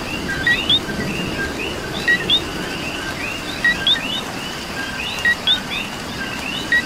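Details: Coqui frogs calling in rain in Puerto Rico: a clear two-note co-qui, a short flat note followed by a higher rising chirp, repeated about every one and a half seconds over a dense chorus of more distant frogs and steady rain patter.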